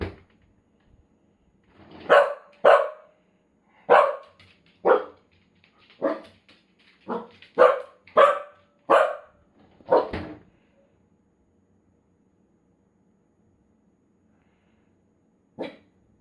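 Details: Indoor Corgi reacting to the freezer section of the refrigerator being opened; a rapid series of about a dozen sharp, clipped barks over eight seconds, then silence and a single final bark.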